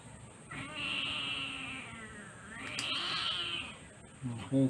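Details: During a claw trim, Sweetie the female Siamese cat lets out a long, loud, complaining meow that dips and rises again, then stops, followed by brief handling noises.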